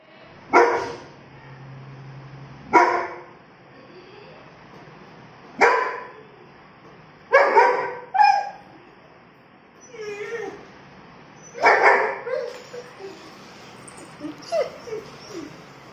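A German Shepherd gives deep, loud barks, single and doubled, spaced a few seconds apart.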